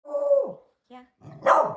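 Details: Beagle indoors on Halloween, shy of strangers and disliking the doorbell: a sustained whining tone that falls away, a brief short note, then a single loud bark.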